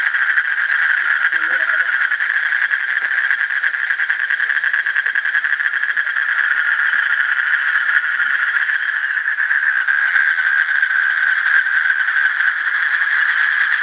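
A continuous, even trill from Asian common toads runs through the whole passage without pause. Near the start, a short low murmur briefly breaks in over the chorus.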